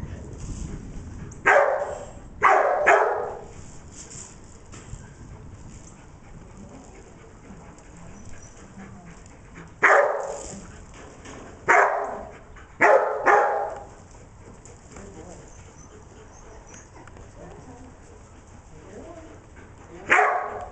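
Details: Declan, a dog herding sheep on 25 September 2011, who barks mainly while herding, gives loud, sharp single and double barks separated by long quiet gaps, with faint background hiss.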